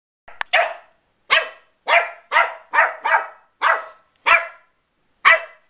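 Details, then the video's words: West Highland White Terrier puppy at play, giving sharp high yappy barks in bursts, about eight barks spaced irregularly roughly every half second to one second, with short pauses, in a quiet small room. "Westie puppy antics"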